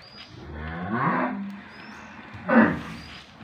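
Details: A two-tooth cow kept with her calf in Gabtoli, Bogura district, Bangladesh, lows once in a deep, rising moo lasting about a second. A short loud burst follows, against a steady low background hum.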